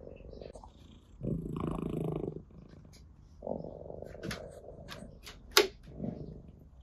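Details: Orange tabby cat Ginger purring as it is stroked, three rumbling purr bursts separated by quiet gaps, with rustling and brief sharp noises toward the end.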